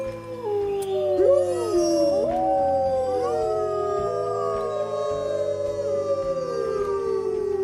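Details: Wolves howling at night in a group chorus, many long gliding tones crossing and sweeping downward, with a steady musical drone underneath throughout.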